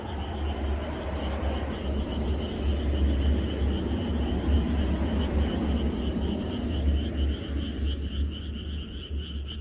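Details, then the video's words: Frogs chorusing in the countryside on the night before rain: a dense, continuous croaking texture with a steady pulsing high trill running throughout, over a constant low rumble. "개구리들의 합창"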